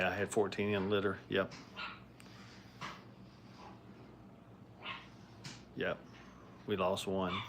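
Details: Five-week-old Brittany puppies crate training in a kennel: loud, high, wavering harmonic whines and yelps open the recording, return near seven seconds, with softer scattered cries between over a steady low background hum.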